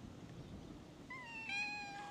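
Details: Stray cat on a cat island, among cats crowding around someone sitting on a bench, gives one drawn-out meow that rises, then holds a steady tone and fades, over low outdoor background noise.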